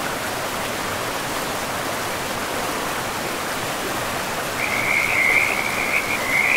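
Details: Frog calling beside a river in a pristine, moss-covered forest: a high, narrow trilling call starts partway through and carries on to the end, rising slightly, over a steady loud rush of flowing water.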